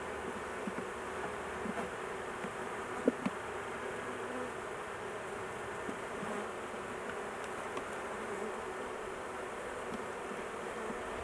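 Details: Continuous low buzzing of many honey bees at a large hive, queen placed in a cage to keep her safe during the work; a few soft clicks and one sharper tap.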